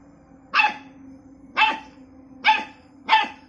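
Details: Labrador retriever; bark; aggression toward a cat during a fight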